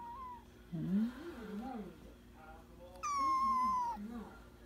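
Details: Ohana, a kitten lounging by a kotatsu and licking then play-biting, gives one clear, high, drawn-out meow lasting about a second that falls slightly at the end. Low human voices and soft indoor rustling come before it.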